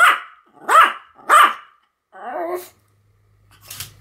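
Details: Two pet Pomeranians, Sam and Marin, barking together in a duet: three sharp high barks about half a second apart, then a lower, rougher growling bark and a faint clatter at the end.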